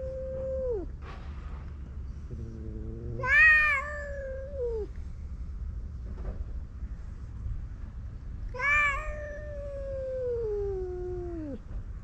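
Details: Two male stray cats on a cat island squaring off in a fight: short low moans, then two strained yowls about five seconds apart, each sliding down at the end, amid faint background noise.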